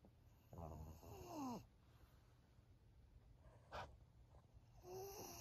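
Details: Maria, a thirteen-year-old senior fawn female pug in Japan, recorded October 2023: a rough, rumbling snore with whistling, rising nasal tones over about a second, then quiet breathing and a sharp snort near the end.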